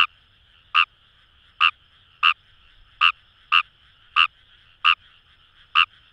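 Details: Wild Kawamura's rice frog calling from paddies along the Kamo River, Itoshima, Japan: loud, rasping croaks roughly every two-thirds of a second, nine in six seconds, with a quiet frog chorus buzzing underneath.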